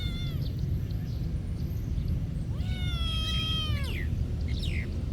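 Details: A monastery cat gives a short faint mew, then a drawn-out meow lasting over a second that rises, holds level and falls away, against a continuous low rumble.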